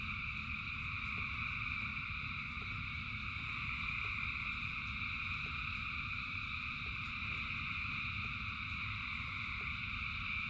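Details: Frogs calling in rain, thousands in one massed chorus: continuous high whirring tones layered at several pitches without pause, with a deep rushing rain bed underneath and occasional faint clicks of drops.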